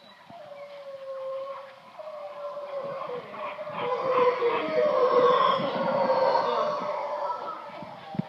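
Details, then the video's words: Howler monkeys calling in the wild at a Shelter Bay boat yard, Panama. A drawn-out, moaning tone opens the clip, then deep, grating roars build after the midpoint into a loud, throaty chorus before easing slightly, ending with a sharp knock. "Howler monkeys Shelter Bay Panama"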